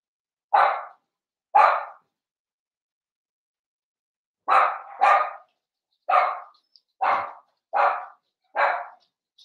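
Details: Blenheim Cavalier King Charles Spaniel puppies, seven weeks old, in an indoor puppy pen, give sharp high barks: two spaced yaps, a pause, then six more in quick succession, with near silence between them.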